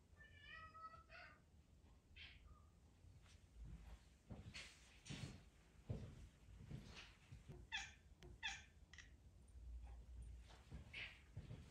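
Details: Charlene, a pet cat, meows to be petted, indoors: a clear harmonic meow near the start with a second short call, then a brief higher mew, followed by rustling, thumps and handling noises in a small room.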